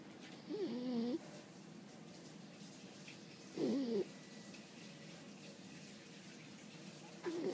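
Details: French Bulldog Boo-chan asleep indoors after lots of play, snoring in three short nasal bursts with a wavering, whistly tone, the last cut off at the end; quiet room hiss between breaths.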